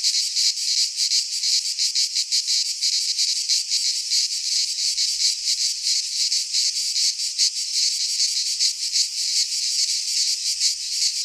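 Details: Midsummer chorus of cicadas in a pine forest in Greece, an unbroken shrill buzz pulsing quickly, nearly three beats a second, with faint low thumps now and then beneath.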